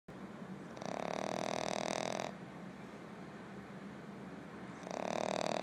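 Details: A sleeping female French Bulldog puppy gives loud, buzzy, raspy snores, each a rattling breath of about one and a half seconds, with quieter breathing in the gaps.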